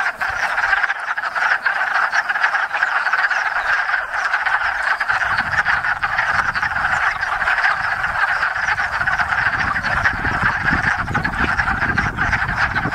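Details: Hundreds of wood frogs (Lithobates sylvaticus) chorusing at a small pond in Enosburgh during spring mating; continuous clucking croaks with a low rumble of background noise entering midway.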